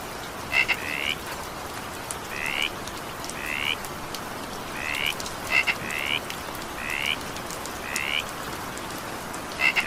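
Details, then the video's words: Frog calls during evening rain: a series of short rising nasal notes, spaced irregularly, occasional clicking pairs before them, and a continuous wash of rain behind. "evening rain sound effect with frog sound"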